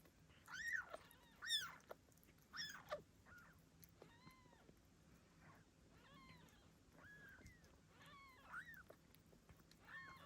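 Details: Ragdoll kittens minutes after birth to their blue bicolour mother Gambit in Australia, crying in a quick irregular series of about a dozen arched mews, loud at first, then softer and thinner.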